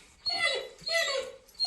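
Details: Pet dog whines twice, each a drawn-out, high, tonal whine sliding downward, the second one longer, with a brief new sound beginning at the very end.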